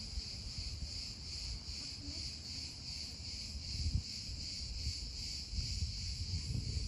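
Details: Emerging cicadas in the USA fill the air with a continuous shrill buzz that pulses faintly but never stops, over low rumbling background noise with a few soft knocks.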